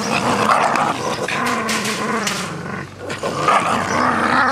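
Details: Two Jack Russell Terriers tussling over a soft toy rabbit: steady throaty growling holds for several seconds, dips briefly, then swells again, with faint rustling underneath.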